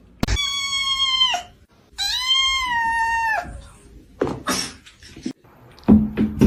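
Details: Cat giving two long, drawn-out, steady-pitched meows of about a second each, separated by a short pause, then thumps and laughter from people indoors.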